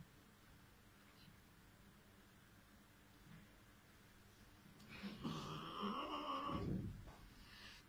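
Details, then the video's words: A kitten trying to jump. Quiet room noise for about five seconds, then a drawn-out, strained, harmonic cry lasting nearly two seconds, with a faint breathy sound after it. "Cute Kitten Trying to Jump"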